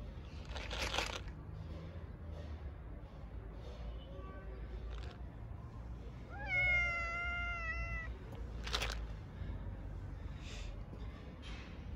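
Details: Street cats on a cold winter day begging for food and affection from the person who feeds them: one clear, drawn-out, slightly falling meow amid rustling and scuffing noises and a quiet background.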